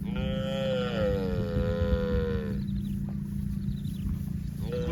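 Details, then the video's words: Cow roaming in the fields gives a single long, drawn-out moo lasting over two seconds, its tone sliding gradually downward, over a steady low rumble of background noise. "COWS SOUND - Video of livestock Cows and Funny cow sounds roaming in the fields | Cows mooing"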